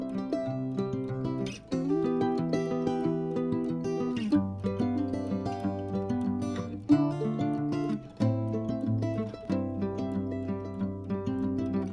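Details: Gentle acoustic guitar and mandolin music strums steady chords throughout, and no animal is heard.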